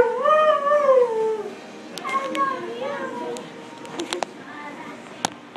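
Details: A husky at a grooming salon gives a drawn-out, mid-pitched howl that slowly falls, followed by softer wavering vocal sounds.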